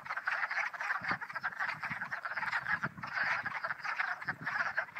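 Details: Full spring chorus of hundreds of spring peepers swarming about on their second day of singing; steady, dense overlapping peeps forming a continuous pulsing drone, with scattered low thumps beneath.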